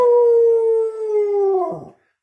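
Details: Pet dog howling along as its owner sings, a sustained, slightly wavering tone held for nearly two seconds, sliding downward and breaking at the end; no other sounds intrude.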